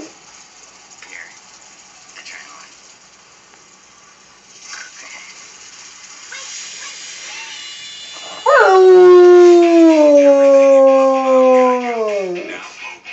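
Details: A Rottweiler sleeping on the couch hears a TV commercial and responds with a long, mournful howl that starts high and slowly slides lower over about four seconds.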